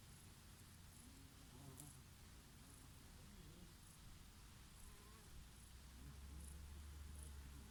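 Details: Bees foraging on oregano flowers, their favourite, on a summer day with a breeze, and a bumblebee here and there: a low, steady droning hum with wavering tones as insects pass near and away, over soft breeze noise.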